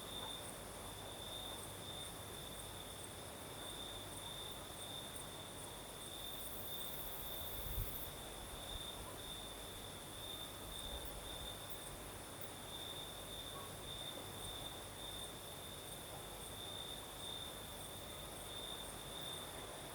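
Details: Singing crickets on a southern Crimean night, their shrill pulsed trill running without pause at a constant pitch. A higher faint band accompanies it, with breeze hiss throughout and a brief gust-like rush partway through.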